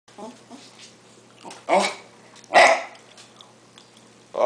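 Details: Hungry pet dog vocalizing indoors while begging its owner for a hamburger; two short, rough, bark-like bursts about a second apart, with a man's voice and quiet room noise between them.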